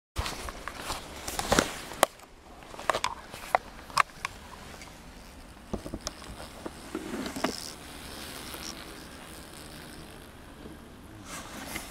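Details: Sharp clicks and taps are scattered over a steady low background hum. No clear animal call or buzz stands out.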